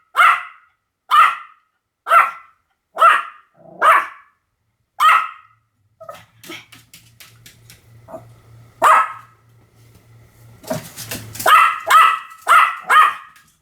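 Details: Pomeranian dog barking: six sharp, high yaps about a second apart, then a pause filled with faint clicks and a low hum, one more bark, and a quick closing burst of four or five yaps.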